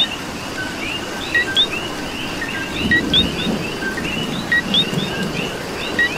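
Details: Puerto Rican coqui chorus during rainfall: many overlapping high chirps and glides, with crisp two-part rising 'co-qui' calls repeating every second or two above a constant hiss of rain.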